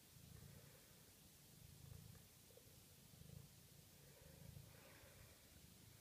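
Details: Maine Coon cat (Felis catus), purr.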